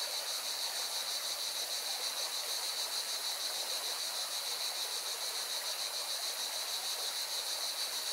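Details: Cicadas beside a Valencian mountain river in Spain produce a constant piercing buzz with a fast, regular throb, carried over a continuous wash of rushing water.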